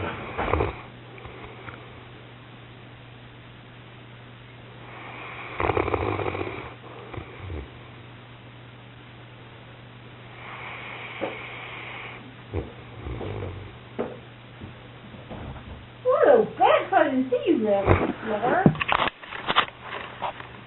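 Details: Pyrenean Mountain Dog snoring during an afternoon snooze: soft, breathy, rasping snores in slow swells, then a burst of short squeaky whimpers and snuffles near the end over a low steady hum.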